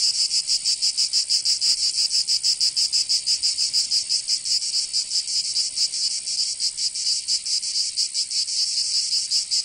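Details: Summer cicada chorus from Provence in the south of France, a bright, rasping high buzz with rapid throbbing pulses that stay fairly even throughout, with no other sounds clear.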